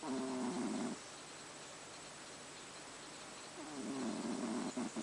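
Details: Pet cat Haru snoring in sleep: two buzzy, wavering snore breaths, one at the start and one near the end, separated by about three seconds of quiet breathing hiss.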